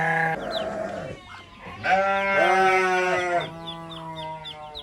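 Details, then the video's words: Domestic goats on a farm, a family of kid, mother and father: wavering, nasal bleats in several long bursts, one brief and two stretching over a second, with faint high chirps in the background. "anak kambing, ibu kambing dan bapak kambing"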